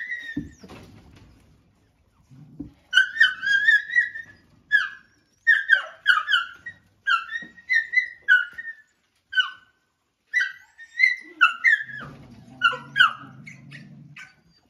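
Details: Dog squealing while a male dog attacks a female as she eats: a rapid series of high, piercing yelps with bent pitch, bursts of several at a time. Two quieter gaps, and a low rumbling noise near the end.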